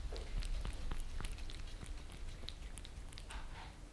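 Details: Lissy, a Maine Coon, and Fritz, a British Shorthair, pet cats in Germany, licking favourite creamy treats on glass, recorded from under the table; quick moist ticks about three per second, softening toward the end, over low indoor rumble.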